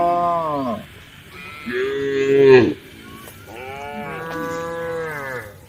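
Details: Cows on a road at the forest edge calling the herd: three drawn-out moos, the first falling, the middle louder and rising into a strained end, the last long and wavering.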